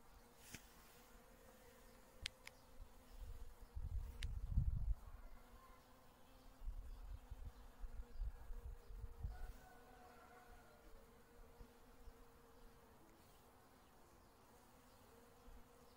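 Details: In spring, a honey bee forages on wintercress (Barbarea) blossoms, giving a continuous, even drone with a brighter overtone. Low rumbling bursts around the middle, brief sharp clicks early and a faint higher warble.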